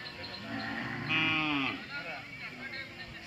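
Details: Hallikar cattle at the weekly Sunday Jodugatte cattle fair market in Turuvekere taluk, Tumkur district, Karnataka, India: a loud, rich, harmonic moo lasting about a second, rising then falling, followed by quieter wavering tones among market chatter.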